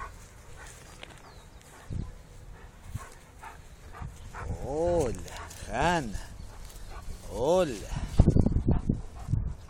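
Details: Giant Schnauzer at the Paillan Tremo kennel, Cba, sounding three separate arched, tonal barks about a second or two apart, followed by a burst of harsher barking near the end, with a voice talking in the background.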